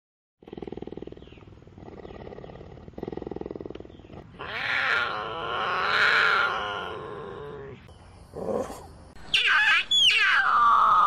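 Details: Cougar (Puma concolor) call: rasping bursts, then a drawn-out wavering yowl and a sharp, high scream.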